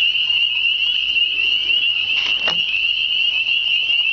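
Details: Unseen frogs in full spring chorus beside motionless water: a constant piercing trill of overlapping voices, interrupted midway by a short rustling bump.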